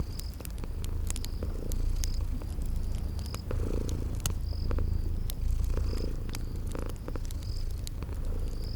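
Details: Deep, continuous purring of sleeping kitties by a crackling fireplace in spring garden ambience, swelling gently every couple of seconds, with bursts of high cricket trills overhead and frequent snapping crackles from the fire.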